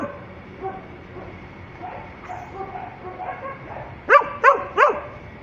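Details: Shelter dog resembling a Labrador, housed among many kenneled dogs, barking; after a murmur of quiet background voices and distant sounds, three sharp loud barks come in quick succession near the end.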